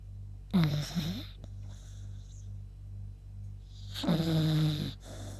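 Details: Two snores from the beagle Yuta as she sleeps after a walk: a short rasp with a wobbling tone, then a longer, steadier nasal snore about three seconds later, over faint indoor hum.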